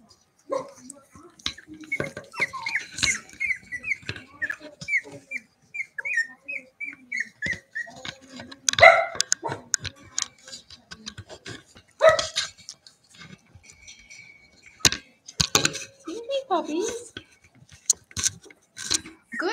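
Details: Playing Cavalier King Charles Spaniel puppies inside a house, raised in an indoor pen: a quick run of about a dozen short, high yips that step gradually downward, followed by thumps, scuffling and a brief low whine.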